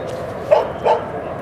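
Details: Two short, sharp dog barks about a third of a second apart, from Rosy and Rocky's outing to Seal Point Dog Park by San Francisco Bay in December 2015, over a constant low background rumble.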